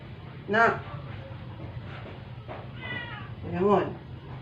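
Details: Weak, short meows from a dying rescued stray house cat, home after a vet clinic visit. Two brief cries come about three seconds apart, with a fainter murmur between them, over constant room hum.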